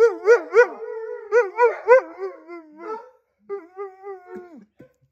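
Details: Husky howling because he wanted more attention: a slow build-up of short rising yelping barks in bursts, then drawn-out wavering howls, with a brief pause before a final sliding howl that drops away.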